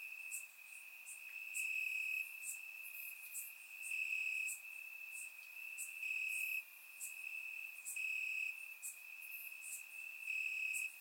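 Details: Crickets chirping in grass during a warm summer night in Bulgaria: an unbroken shrill trill that swells into brighter, louder stretches roughly every two seconds, accompanied by repeated very high staccato ticks.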